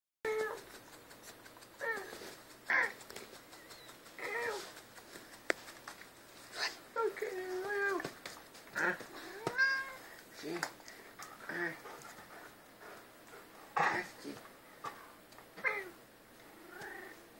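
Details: Albine house cat said to 'talk', sharing the home with another cat and two dogs, giving a long series of varied drawn-out meows, rising and falling, with people talking now and then in a small room.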